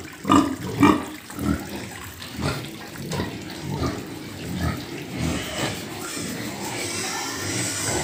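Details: Farm pigs grunt loudly in two strong bursts near the start, then softer irregular grunts follow over a steady background of running water.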